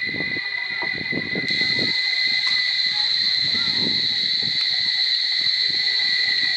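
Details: Cicadas droning at Barichara: a shrill, sustained two-tone buzz that stays level throughout, over intermittent low voices or rumbling in the first seconds.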